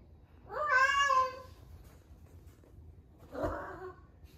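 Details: Ame, a rescued 11-month-old female cat at the peak of her first heat, gives one loud, bright, drawn-out meow, then after two seconds a shorter, rougher, quieter call.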